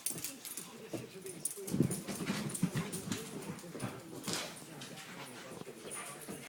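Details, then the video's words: Boxer dogs, more than one, vocalizing at home: a run of wavering, low whines and grumbling moans that rise and fall in pitch, loudest in the middle, with faint clicks and other background noise throughout. "My crazy boxer dogs"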